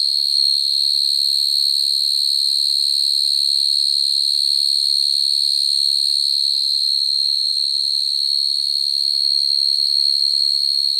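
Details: Natural field cricket calling for females, used as a trapping lure: a continuous high, ringing trill with fast, even pulses and almost nothing else audible.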